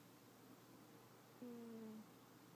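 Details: Yuki, a cat, snoring in sleep: one brief, quiet, low tone drifting gently down in pitch for around half a second over a steady background hiss.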